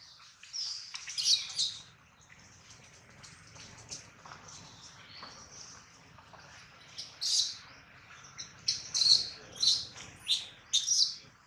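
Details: Hungry baby monkey Adler cries for his missing mother while in the hands of a small monkey; a faint thin whine at first, then a run of sharp, piercing squeals in quick succession near the end.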